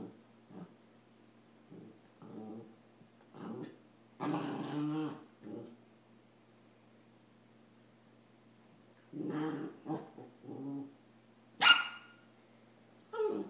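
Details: Rat Terrier and Samoyed puppy Adam play fight indoors; brief growls and grumbles come in scattered clumps with long quiet gaps, one louder rough snarl early and a sharp high snap near the end.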